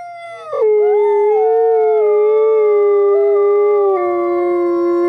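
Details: Two captive-born gray wolves at a wolf conservation center in South Salem, New York, howling together to reaffirm social bonds: a smooth, sustained tonal howl that drops sharply in pitch early on, then holds steady and dips slightly lower near the end.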